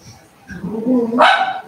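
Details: Cavalier King Charles Spaniel puppies playing together inside a house while being raised at home; a low, growly rumble swells and then breaks into one sharp, loud, high yip at the end.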